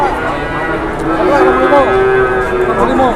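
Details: Cattle at a busy cattle market lowing in drawn-out, harmonic moos, one held steady for about half a second, over a constant hubbub of men talking and bargaining nearby.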